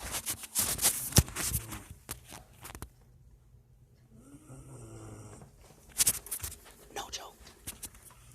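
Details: Blacky, a pet dog, snoring indoors in a small room: rough, breathy broadband rasps in uneven bursts, clustered at the start and again near the end, with a person speaking quietly in between.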